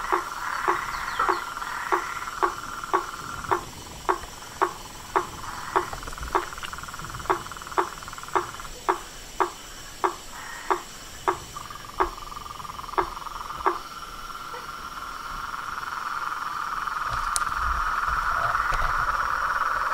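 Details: Frogs, toads and treefrogs in chorus: a run of short sharp calls almost twice a second for about fourteen seconds, then a swelling continuous buzzing trill takes over.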